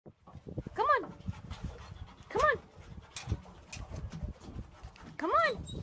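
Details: Dog giving three short high arched whines or yelps, each rising then falling, spaced about one to three seconds apart, with quieter rustling and shuffling between.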